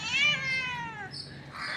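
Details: Domestic cat that comes daily for its milk, arriving late after missing the previous day, gives a single clear meow, about one second long, starting high and sliding steadily downward.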